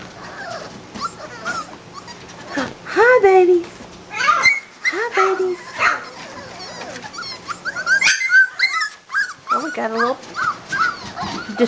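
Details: Several three- to four-week-old Labrador Retriever puppies missing their mother, squabbling, with overlapping high whines and yelps mixed with a woman talking to them and some handling noise.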